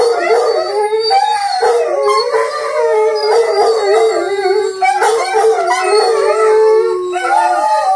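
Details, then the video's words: Several Rhodesian Ridgebacks join in a pack howl, continuous overlapping voices that waver and dip, short breaks where individual dogs draw breath and restart, a lower howl fading out near the end. "Rhodesian Ridgeback Insights A Pack Howl"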